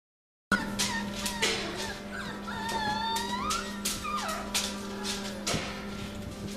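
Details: Winter puppies of a 2017 litter in the morning, giving overlapping high whines, yips and wavering squeals, with a steady low hum underneath.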